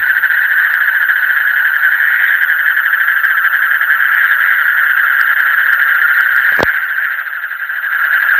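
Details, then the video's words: Deep-night frog chorus: countless rapid pulsed calls blend into an unbroken, vibrating mid-pitched drone, with one sharp click partway through. "Call of the frog in the deep night"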